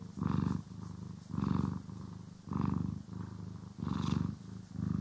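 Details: Cat purring contentedly while being groomed and brushed, steady deep rumble with louder pulses on each breath, about five swells over a few seconds, no other sounds.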